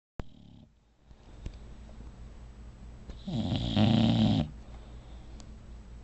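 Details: Hannah, a female bulldog, snoring loudly while asleep indoors: quiet breathing, then one long rasping, rumbling snore of about a second with a low harmonic buzz, fading back to soft breaths.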